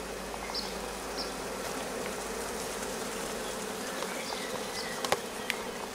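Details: A swarm of honey bees resting for several days on a rose bush, starting to build comb; dense continuous humming buzz of many wings, even in level, with a couple of sharp ticks near the end.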